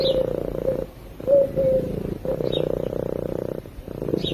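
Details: Sleeping domestic cat purring into a microphone: a rapid, buzzing pulsed drone that starts and stops with each breath, leaving short pauses, while faint high chirps and a couple of short whistled notes sound behind it.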